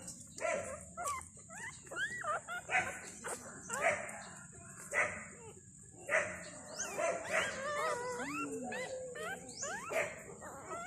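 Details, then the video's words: Newborn Thai dog puppies, five of them on their second day beside their mother, giving rapid overlapping squeaks and thin whines, some rising and falling, with a constant high hiss in the background. "My cute Thaidog puppies just born"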